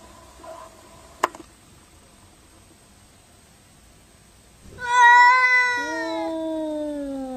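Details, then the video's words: Angry cat in a fight: quiet start with a faint low mew and a sharp click, then a loud bright yowl bursts in, wavering before settling into a lower drawn-out moan. "FUNNY CRAZY CAT SAY WOW 2015 2016 fighting angry boxing"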